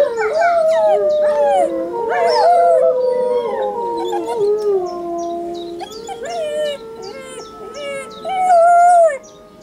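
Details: Young Saarloos Wolfdog Linde joins wolves in howling at home, June 2012: bending, overlapping howls with quick upward yelps and short breaks, several voices weaving above a lower sustained howl that fades near the end.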